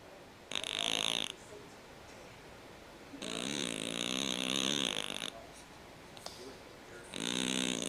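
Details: Sleeping cat snoring in bursts: two long raspy breaths with bright hissing overtones, separated by quiet pauses of about two seconds.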